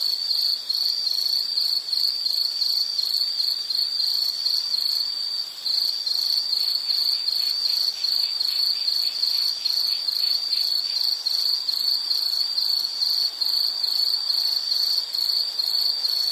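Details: Calming nature recording of insects: a constant shrill trill holds on one high pitch, broken into fast rhythmic pulses, with a brief dip in loudness near the middle and a faint higher buzzing layer above.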